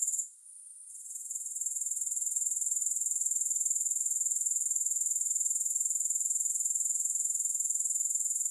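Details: Grasshopper stridulation: after a brief drop in the first second, a dense, high-pitched shimmering buzz builds and holds steady, beating in quick regular pulses roughly four per second.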